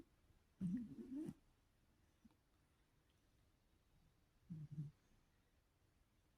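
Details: While dreaming and twitching, an old cat of 17 years lets out two low, wavering murmurs in its sleep. The first is drawn out and undulating, the second shorter and broken. Quiet stillness lies between them.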